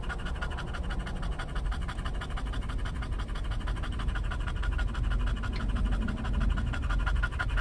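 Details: In California, an English bulldog on a Starbucks drive-thru outing for a pup cup pants softly and somewhat irregularly. Breathy puffs sit above a constant low vehicle rumble.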